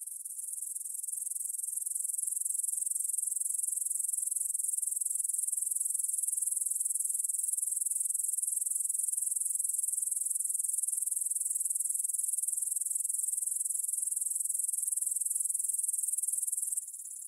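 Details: Stridulating grasshoppers in a field by the Svensky monastery in Bryansk, Russia, at 9pm, September 6, 2020, recorded in stereo on a Tascam DR-44WL. A steady, very high buzzing chorus drops suddenly in volume just before the end.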